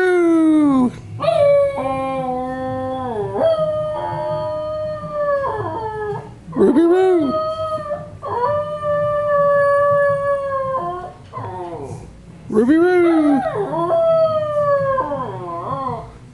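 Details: A pet schnauzer still howling indoors: long, sustained, wavering howls with sliding pitch, some dipping then rising again, given in several bouts over about sixteen seconds.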